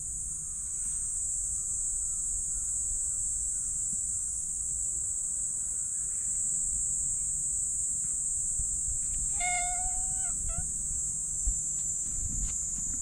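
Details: Black stray cat giving a brief meow while its lower back is patted: one short, bright mew followed by a faint second note, with a constant high-pitched insect-like drone throughout.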